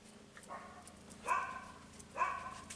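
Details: A pregnant Italian Greyhound at 58 days of pregnancy, five days before her due date, gives short, high, nasal whines, three of them nearly a second apart.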